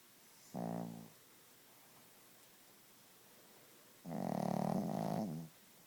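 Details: Sleeping Chihuahua Gidget snores loudly. A brief nasal snore is followed after a pause of about three seconds by a longer, rougher, buzzing breath.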